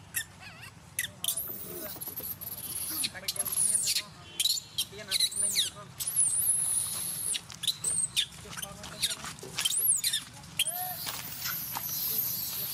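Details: Angry crying from Vixen, a free-living monkey at Angkor Wat: a long series of piercing, wavering screams rising and falling in pitch, almost unbroken, with brief pauses and faint lower sounds beneath.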